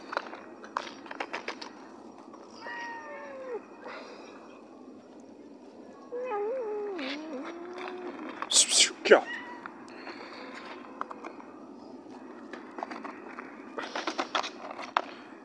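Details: A shunned cat gives a few bending, drawn-out meows, one falling and one wavering, amid a person talking and scattered clicks and handling noises.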